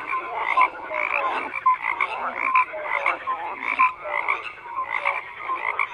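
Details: Croaking frogs in a crowded chorus, loud rattling bursts roughly every second over a constant backdrop of overlapping calls, with occasional brief higher notes.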